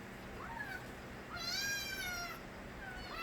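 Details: Stray kittens, the young of a street cat named Nabi, cry with a few thin, high arched mews, one louder drawn-out wavering call in the middle, over a low steady background hum.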